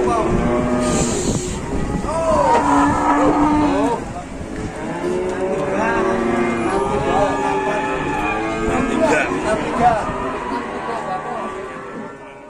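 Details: Cattle arriving at a market for slaughter, loud overlapping moos with rich harmonic tones that swell and fall, calling almost continuously over a steady engine rumble.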